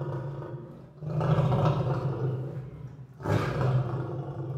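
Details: Lion growling: a continuous deep rumbling growl that swells, dips briefly, then surges again in a throaty rasp.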